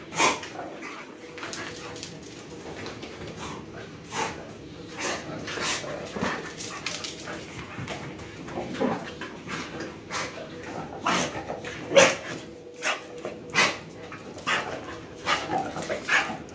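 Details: Playful domestic dogs, a pushy puppy named Shiva roughhousing indoors with visiting dogs Jack and Tessa; sharp barks and growly yips burst out irregularly, about once a second, amid scuffling paws and a woman talking to them.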